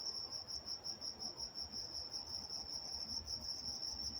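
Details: Night-time crickets in Walnut, California: a dense, steady high-pitched chirring band, pulsing in rapid repeated waves, with a faint low rumble of distant background noise beneath.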